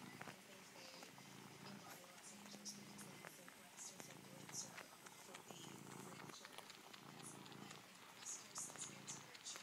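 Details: Purring of a female cat, originally found outside a patio door, suckling and kneading a favourite blue-green blanket with her front paws; low rumbling pulses with scattered sharp clicks and rustles.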